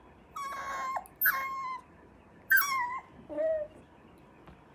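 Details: Cocker Spaniel puppy during potty training, giving four separate high, thin whines over a quiet background; most hold steady then drop in pitch, and the last is lower and shorter.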